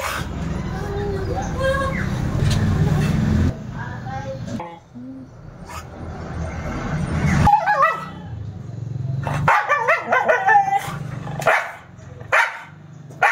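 A Siberian Husky gives wavering, yodelling howls in short rising and falling bursts.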